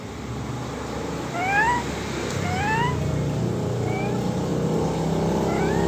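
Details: A pet cat heard vocalising for the first time after more than a year of silence: short rising meow-like chirps repeated every second or so over a steady low engine-like hum.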